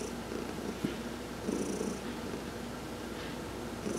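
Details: Domestic cat Heidi, massaged during a sun bath on November 19, 2020, gives a soft rumbling purr that rises in brief breathy swells, with one small click early on.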